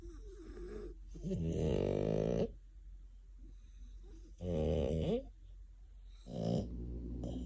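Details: French Bulldog snoring while asleep indoors: three loud rasping snores, each about one second long, separated by quieter breathing, with low rumbling throughout.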